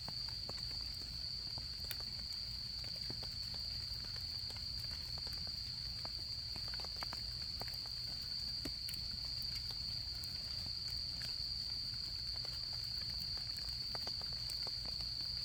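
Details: Insects calling in autumn beside a campfire during camping season, their continuous high, even-pitched ringing drone holding steady while the fire keeps up dense, fine crackling and snapping beneath a soft low rumble.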